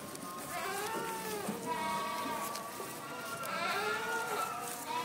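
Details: Boer and Saanen goats at a breeding farm, several animals bleating over each other in wavering, nasal, drawn-out cries that rise and fall, with a steady background murmur throughout.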